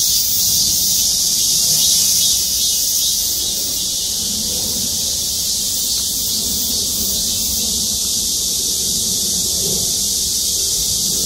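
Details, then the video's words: Cicadas chorusing from trees above a parking lot at a city hall in Gwangmyeong, South Korea; a dense, steady high-pitched shrill drone fills the air, slightly louder in the first two seconds, with faint low background rumble. "맴맴맴 매미소리. 매미들의 합창"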